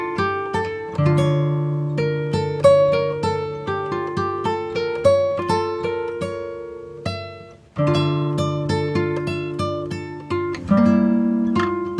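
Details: Plucked acoustic guitar music plays steadily throughout, with no animal sound audible.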